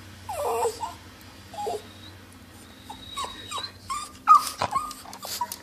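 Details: A dog bothered by high-pitched noises whimpers and yips in a series of short, uneven, rising cries, louder and more frequent toward the end. A faint high tone and a few thumps sound in the background.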